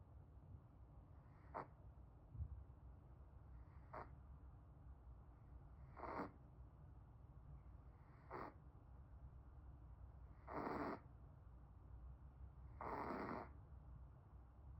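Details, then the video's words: Pomeranian dog snoring softly: six short, breathy, rasping snores spaced about two seconds apart, the last two longer and fuller, over a steady low background hum. "코골이 한판 낄여왔슴다"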